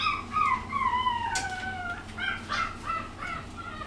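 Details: Female puppy a little over one and a half months old, filmed on March 17, giving high, sliding whining cries that fall in pitch. Several short and drawn-out whines fill under four seconds over a faint low hum.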